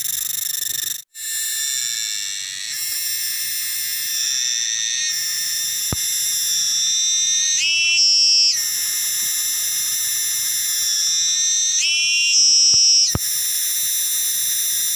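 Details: Cicada, known locally as tonggeret or garengpung, shrieking from trees: a loud, sustained, shrill metallic drone with a rich buzzing tone. A brief break comes near one second, and the pitch shifts with pulsing surges around eight and twelve seconds.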